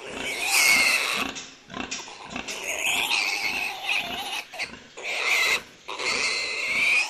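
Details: Domestic farm pigs squealing: long, harsh, high-pitched screams in bursts of about one to two seconds, separated by short gaps, with low grunts underneath.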